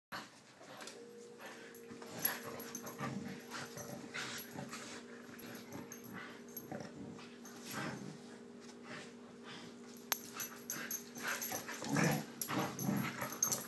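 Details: Siberian Huskies Ava and Bella during their morning routine: scattered whiny, grumbling vocal bursts with short harmonic whines near three and twelve seconds, over a steady low hum throughout.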